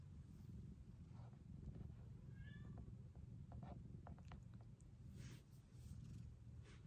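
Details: Low, steady purring from a rescued kitten cared for in a 2023 foster home, joined midway by a short, thin meow and scattered light clicks and rustles from handling.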